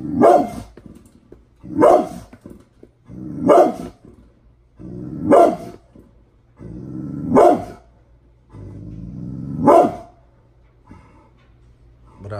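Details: Mad Pit Bull barking steadily, seven loud, harsh barks roughly every one and a half to two seconds, each short and explosive with a brief rumbling tail between some of them.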